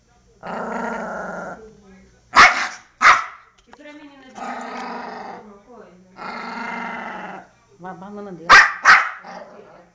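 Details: Angry poodle attacking: long rough growls alternate with sharp, explosive barks in pairs, with human voices talking nearby.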